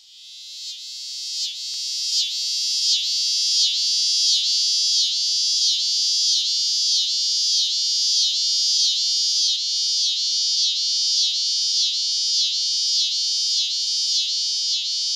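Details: A male scissor-grinder cicada, one of the most common annual cicadas in the Midwest, found throughout Illinois and singing throughout the day, gives a loud, high buzzing song throbbing in slow pulses, about one or two each second.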